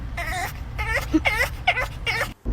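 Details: Dogs in a car at a McDonald's drive-thru whine after getting no pup cups. Five high, wavering whimpers curve up and down over about two seconds. A low engine hum runs underneath.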